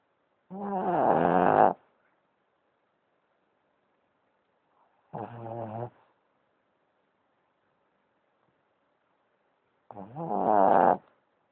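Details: A pet Boston Terrier snores in three drawn-out, vibrating breaths, the first and last longest at over a second, with long quiet gaps between them and no other sounds.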